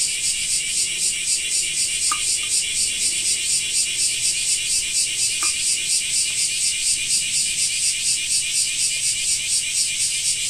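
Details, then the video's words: Japanese summer cicadas droning loudly, the shrill buzz throbbing in regular pulses about twice a second, with two or three faint clicks in the first half. "Japan Rain Sound 5of2 - Cicada 2"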